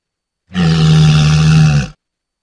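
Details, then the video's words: Walrus giving a deep, steady roar of about one and a half seconds. It is low and buzzy with strong harmonics and stops abruptly. No other sounds are heard. "Walrus Sounds"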